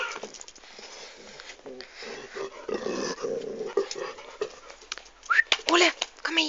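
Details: Domestic dog enjoying being caressed on its butt and hips, sounding dangerous but harmless; a low rasping growl builds in the middle, then a person speaks with rising, high-pitched voice toward the end.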